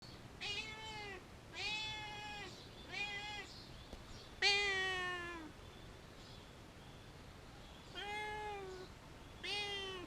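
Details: A very vocal cat meowing on a wall outdoors: repeated clear, harmonic meows, each about half a second to a second long, slightly falling at the end, with one longer drawn-out cry, over a steady hiss of background noise.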